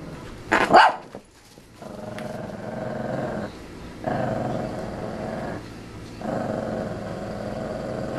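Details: Shih Tzu puppy Yogi, worked up and bouncing around a playpen: a single sharp yelp, then three long stretches of steady, low rumbling growl separated by short pauses.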